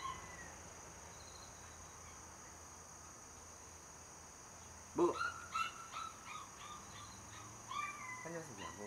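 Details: Home-raised Border Collie puppy, third of its litter, born 5 July 2024 and 77 days old, during a wait-and-eat feeding drill. After several quiet seconds, a sharp high bark rings out, then a few shorter yappy barks and yips, with a person giving commands.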